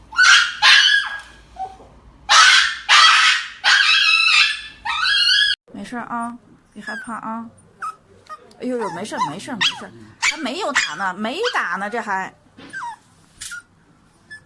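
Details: Dog getting an injection, letting out loud, high, harmonic yelping cries in quick bursts for about five seconds, followed by people talking with softer sounds mixed in.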